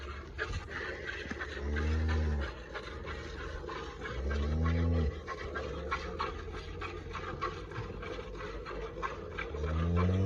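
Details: Red Friesian cross cow, a first-calver at Pakpattan, gives three short, deep lows spaced a few seconds apart over a steady rustling farmyard background.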